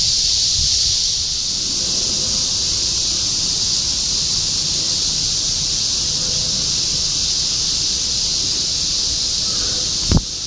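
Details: Continuous cicada chorus in Shinjuku, Tokyo, 2016: constant high-pitched droning buzz throughout, with soft low traffic rumble and a brief sharp knock near the end.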